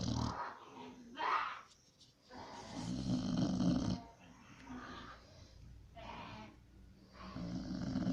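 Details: A sleeping pit bull named Pit snores in rasping, breathy bursts. Each noisy inhale and exhale swells and fades roughly every two seconds, with deep rumbling underneath and no other sounds intruding.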